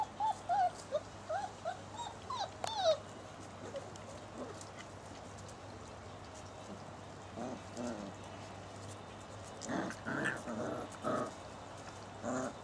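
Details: Basset Hound puppies aged six weeks at play in a garden, mother and father present, September 2009; bursts of squeaky whimpers and yelps open the recording, then a quiet stretch, then a cluster of lower, rougher yips near the end.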